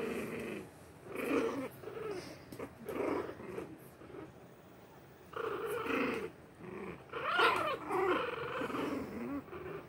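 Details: Shih Tzu puppies play-fighting with their littermates, growling at each other: bursts of low, rough growling about a second long, repeated with short pauses, with a few higher yelping notes near the end.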